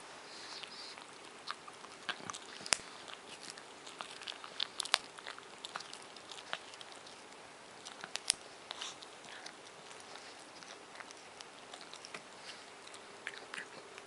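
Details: Gnawing on a bone just after his bath, Moshi, a male Japanese Chin nearly seven, makes irregular crunching bites with several sharp loud cracks, about one every two seconds, plus quieter licking clicks and a faint room hum.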